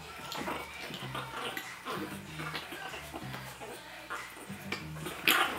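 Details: Chihuahua puppy growling during play: short, low, rumbling growls repeated in bursts about every second, with light rustling and a brief sharper noise near the end.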